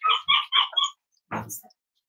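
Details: Cavalier King Charles Spaniel puppies snuggling indoors on a warm Friday morning, in a home raising emotional support animals; four quick, high-pitched yips in rapid succession, then a brief, rougher squeak after a short pause.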